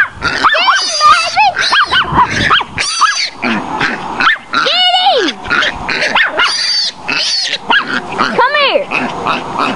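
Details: Tootie, a pet Chihuahua, bays a wild boar piglet: rapid, shrill, arching yaps and yelps in quick, uneven bursts, some bending sharply up then down, with gaps of scuffling noise between.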